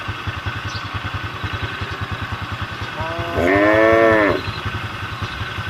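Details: A single cow on the road lows to call its herd, one arched, tonal moo of about a second, rising then falling, against a constant pulsing engine drone.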